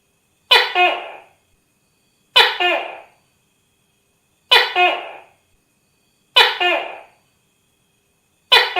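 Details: Tokay gecko giving loud, harsh single calls about every two seconds, each a sharp broadband burst with a rasping tail fading within half a second, separated by silence.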